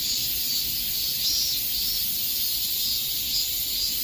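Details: Cicadas in the heat of summer, heard as an unbroken, hissing high buzz with a slow waver in intensity and no other clear sounds.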